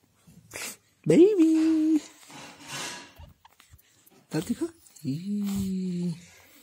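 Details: Pug dog indoors giving two drawn-out, steady tonal howls, each about a second long, the second lower and flatter, with a person's quiet voice and a brief noise between them.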